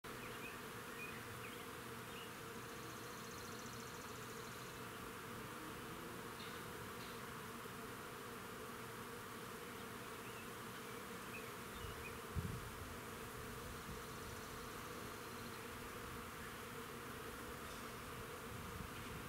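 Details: Bees busy at work in a crab-apple tree in a front yard, giving a steady, low droning hum of many wings that holds unbroken throughout, with a soft thump partway through.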